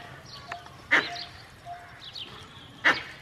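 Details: Angry alarm calling by a male Indian grey langur alerting his group to danger: two loud, harsh, explosive barks about two seconds apart, with faint high chirps and a soft repeated tone behind them.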